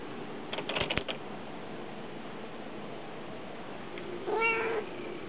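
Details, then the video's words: Domestic cats named Smokey and Casper trying to get outside; some sharp clicks and knocks early on, then one short meow with stacked harmonics near the end. "The Cat's Meow"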